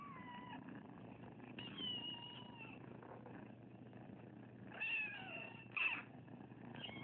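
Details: Rescued foster kittens from Anza, a big litter left on a property, giving several plaintive falling meows spaced a few seconds apart over a steady purr-like rumble.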